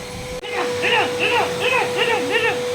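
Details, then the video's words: Leo, an adult male double-coat working-line German Shepherd, reacts indoors to a running vacuum cleaner with a quick run of arched, whining yelps, about six in two seconds, over a steady machine hum. "Leo Reacts To Vacuum Cleaner"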